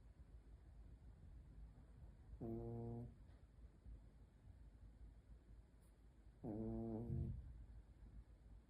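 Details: Pekingese puppy snoring; two drawn-out nasal, horn-like snores with a clear tonal buzz, each lasting under a second, about four seconds apart, over a low steady hum.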